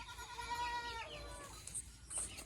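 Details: Boer goat kept on a Nepali village farm crossing local and Boer stock; one steady nasal bleat lasting about a second, then a shorter falling call over low background rumble.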